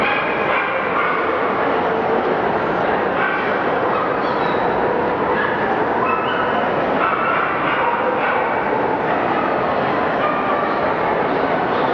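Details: Dense, steady rushing noise like a passing train or crowd din, with no distinct animal calls.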